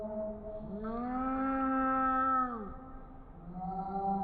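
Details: A cat gives a long, drawn-out meow held at a steady pitch for almost two seconds before dropping away, then starts a second, shorter meow after a brief pause.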